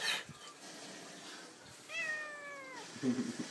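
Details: Domestic cat talking: a single drawn-out meow, steady then gently falling, about one second long, followed by a brief rustle.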